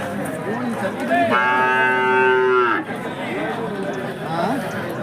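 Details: Hallikar cattle at the KG temple cattle market, 24 November 2025: one loud, steady, drawn-out moo of about a second and a half, rich in harmonics and level in pitch, over a busy background of market chatter and voices.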